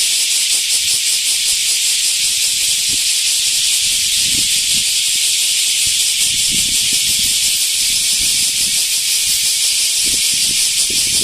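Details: Large brown cicada (Aburazemi) at Animal Land Nakayama, 10 August 2025: noisy, relentless sizzling song of high pitch with a fast, rough pulsing texture, continuing without pause, some faint low-frequency knocks in the background.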